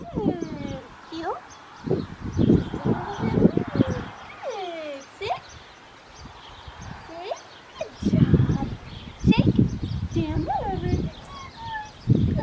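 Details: Male Australian Shepherd puppy, black tri, six weeks old, at a licensed Oklahoma breeding farm: a string of thin, curving whimpers that rise then drop sharply, several in quick succession, with people talking in the second half.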